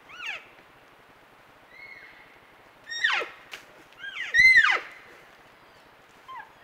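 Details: Elk calves talking with their mothers on a trail camera: high squeals that rise then plunge, one long flat whistled note, a loud overlapping pair of calls midway, and a soft final mew, with a brief click.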